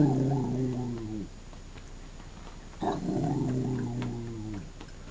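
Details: Pet dog Wicked, a female, 'talking' while playing on a bed: two long, moaning, harmonic utterances about one and a half to two seconds each, pitch wobbling slightly and sliding down at the ends, with a quiet gap between.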